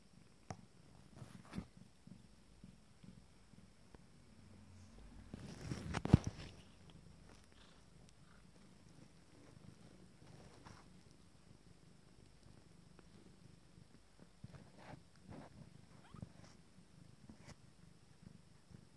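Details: Abyssinian cat with a 19-day-old first litter during intimate grooming, indoors; a soft, low, steady purr rumbles throughout, broken by a loud rustling bump near the middle and scattered small clicks and shuffling sounds.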